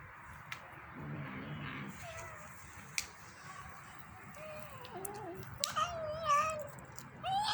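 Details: A female kitten making funny sounds while eating: a run of short, high, wavering mews and squeaks, some rising then dipping, getting louder and more frequent toward the end, with faint clicks and quiet indoor background noise.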